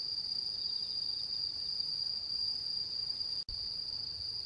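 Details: Autumn insects singing on the mid-autumn moon-viewing night, 10 September 2022, Japan: a steady high-pitched ringing trill, briefly cut by a split-second silent gap near the end, then resuming unchanged.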